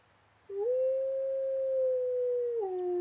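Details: A single talkative wolf gives one long, smooth, clear howl. It opens with a quick upward slide, holds a steady mid-pitched tone for about two seconds, then drops slightly at the end. A faint low hum sits underneath.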